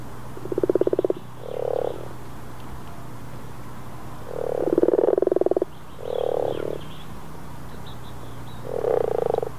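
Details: Common frogs (Rana temporaria) in April 2014 in Northern Sweden, recorded with a Rode VideoMic: low, purring grunts in pulsed bursts of about half to one second, several overlapping croaks with short gaps, steady low hum beneath.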